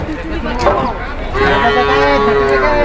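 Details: Cattle being loaded onto an overloaded livestock truck; a long, steady, low moo held for about a second and a half, overlapping men's voices talking and calling out, with engine rumble and clatter behind.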